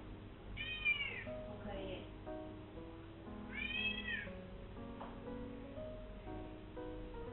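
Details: Pet cat indoors, creeping along a corridor wall and calling to be let outside; two arched, wavering meows about three seconds apart over steady background music.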